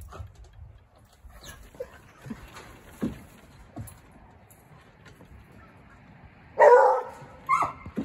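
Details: Eeyore, a massive 85-pound six-month-old male Treeing Walker Coonhound puppy, vocal and talkative, arriving at his new house; soft faint sounds, then a sudden loud harmonic bark near the end followed by a shorter second bark.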